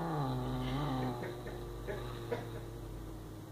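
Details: Smores, a domestic cat, growling while defending a mouse indoors: a steady, low, droning growl with a buzzy harmonic tone, loudest in the first second, then holding on more softly with a few faint clicks.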